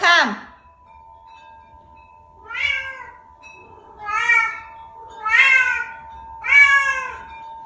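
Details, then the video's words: A vocal pet Bengal cat, described as making weird sounds, gives four loud drawn-out meows about once every one to two seconds after an opening falling cry, each harmonic-rich and slightly rising then falling; a steady electrical hum runs underneath. "My Cat Making Weird Sound | Vocal Cat"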